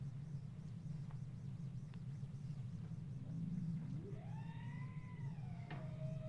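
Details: Bowhead whale song recorded underwater, able to make two sounds at once: a low grunt rising to a long tonal wail with harmonics that slowly falls, over a steady low rumble of background noise.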